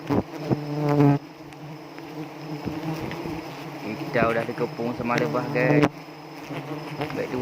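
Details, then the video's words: Honey bees during a honey harvest at Pucok Krueng, South Aceh, Indonesia, where a harvester is being stung: a steady low humming buzz throughout, with men's voices talking over it in the middle and near the start. "di sengat tawon lebah madu aceh"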